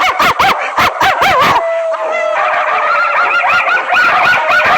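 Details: Bulldog howling, loud and continuous: wavering, yodel-like howls with rising and falling harmonics, broken by short gaps early on, then one steady drawn-out tone followed by overlapping wavering howls.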